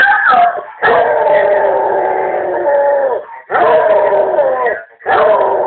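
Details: Hearing a family member speak over the answering machine, a pet Basset Hound bursts into sustained, full-throated howls, a long steady wail followed by two more drawn-out howls with brief gaps.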